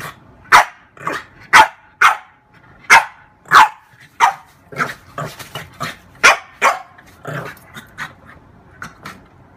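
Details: Female French bulldog at play with her reflection in a mirror, letting out a rapid series of snappy barks, loud at first and then softer and quicker, with little pauses between bursts.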